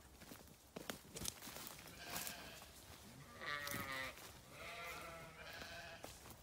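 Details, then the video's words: Grazing sheep on a farm, two harmonic, wavering bleats at about three and five seconds over constant crunching and rustling of grazing, with sharp clicks and scuffs throughout. "Sheep Video | Sheep Grazing | Sheep Farming | Sheep Sound"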